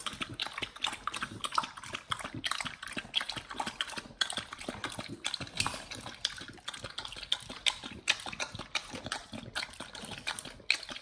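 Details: Pit Bulls eating raw beef, quail egg and duck wing for an ASMR raw-feeding session: crisp, wet snapping chews repeated quickly and fairly evenly, with bright clicky crackles and soft slurping between bites.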